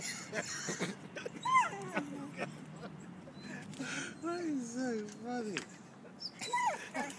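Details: A dog trying to play fetch with a statue: high whimpers sliding sharply downward, then a long wavering whine that dips and rises over about a second, and a brief final yelp-like whimper, with people talking over it.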